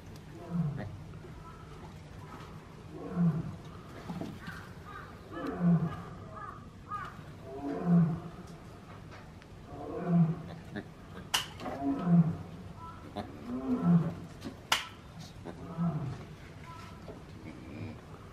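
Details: Several caged zoo gibbons, excited and running around as their keeper enters the enclosure; low, hooting calls with rich overtones repeat roughly every two to two and a half seconds, joined later by sharp knocks and clatters.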